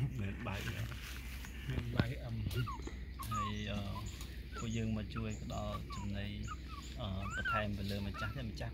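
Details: Puppies being fed: short, high, thin whimpers that rise and bend, scattered through the clip, over steady talking in Vietnamese and low background rumble.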